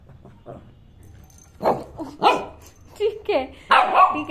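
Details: Shih Tzu puppy wanting to play, letting out several loud barks and whiny yelps in quick succession, mixed with a person's voice talking to it in Hindi.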